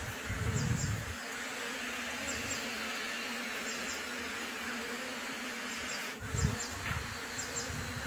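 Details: Steady massed buzzing of bees at a freshly established beehive, with a low rumbling gust at the start, a brief knock near six seconds, then more low rumble toward the end.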